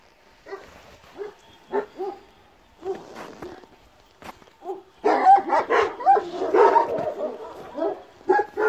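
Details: Kangal puppies barking: short, yelping barks spaced about half a second to a second apart at first, then after five seconds a denser run of overlapping, louder yips and barks, with faint outdoor background.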